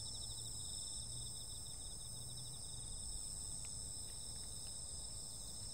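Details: Summer-night insect chorus with constant shrill trilling in stacked high bands, one rapidly pulsed, a few brief faint ticks near the end, and a soft low rumble underneath.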